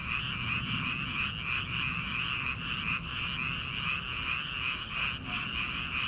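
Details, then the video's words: Numerous frogs croak together in rice fields at the start of summer, prior to rice planting; their fast pulsing calls merge into a steady droning chorus with faint throbbing surges. "초 여름 개구리 울음소리/ 논에서 들리는 개구리 소리"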